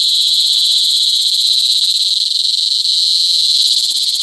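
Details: Close recording of a cicada doing a loud mating call in Negros Occidental, Philippines, in July 2020: an intensely loud, high, whining buzz with fast rapid pulsing throughout, continuous and piercing.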